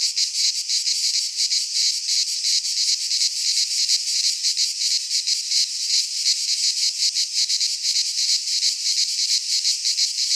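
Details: Greek pine forest cicadas in midsummer, a loud sizzling drone with quick rhythmic pulses, about three per second, holding steady without pause.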